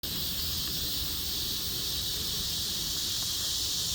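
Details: Cicadas in chorus: a dense, unbroken high hiss-like drone that holds steady throughout, with faint low rumble beneath.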